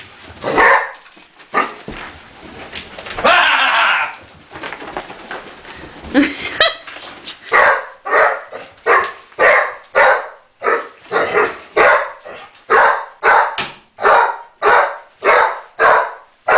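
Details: A Basset Hound barks and yips in a rapid, insistent series while playfully chasing another dog, with a person speaking early on.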